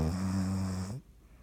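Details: Sleeping dog named Dottie snoring indoors, one drawn-out low rumbling snore with a steady buzzy tone lasting about a second, then quiet breathing.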